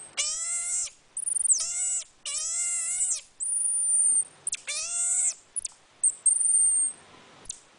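A marmoset gives drawn-out, squealing harmonic calls mixed with thin, very high whistles.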